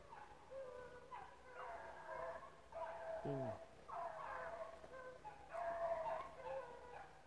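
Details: Pack of rabbit dogs, pups among them, on the chase at Relay Hunt club; several dogs give long, ringing bays and short yelps in repeated waves, with one quick descending squeak midway.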